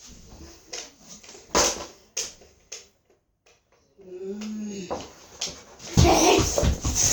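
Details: Dog arguing back at its owner indoors: a drawn-out, wavering whine around 4–5 seconds rising then falling, with barky, noisy vocal bursts before and after, and human speech mixed in.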